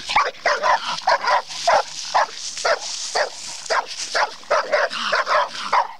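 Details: Female bluetick coonhound being trained on a raccoon barks steadily and loudly, roughly two barks a second, each short and harsh with a ringing tone, continuing throughout with no pause.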